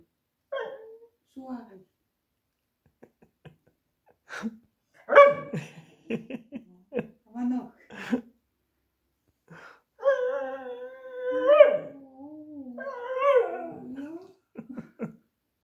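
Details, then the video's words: Rexa, a young female beagle, complains indoors in the kitchen for a snack: scattered soft grunts and short yips, then a drawn-out wavering whine-howl rising and falling for several seconds, with breathy snorts between. "Does your beagle talk to you too?"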